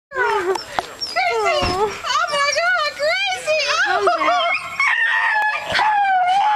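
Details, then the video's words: Emotional pet dog greeting a person arriving home, giving long wavering whines and howls that rise and fall in pitch, with a person talking over it. "Our dog is emotional"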